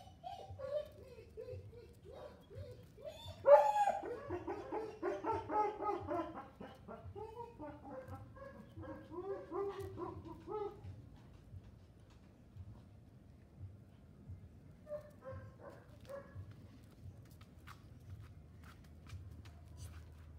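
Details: Miniature Pinscher puppy boy Filip Fleetwod Royal Dignity of Kennel Royal Dignity, Ukraine, lets out a burst of high squeaky yips and whines that taper off, with a few faint yelps later against a steady low hum.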